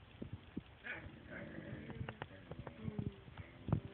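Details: Dog voicing disapproval as its owners pet the cat, with strange talking noises: a run of low, wavering, moaning tones that build toward the end, mixed with light knocks and rustling indoors.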